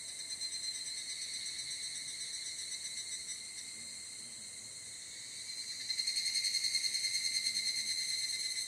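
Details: Evening cicada (higurashi) calling at dusk in Japanese mountains during summer: shrill, rapidly pulsed ringing that holds steady, dips slightly mid-clip, then grows louder and more strongly pulsed from six seconds on.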